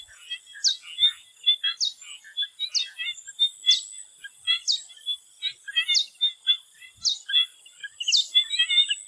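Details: Chorus of swamp frogs in Thailand just before sunset. Sharp buzzy bursts recur about once a second, with many quick clicking chirps woven between them and a constant shrill drone above.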